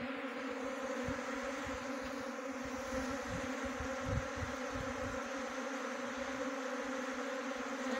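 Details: Many honey bees humming together in a swarm being trapped in Jaunsar-Bawar, Uttarakhand; a dense, unwavering drone that stays level for the whole stretch, with a few low thumps.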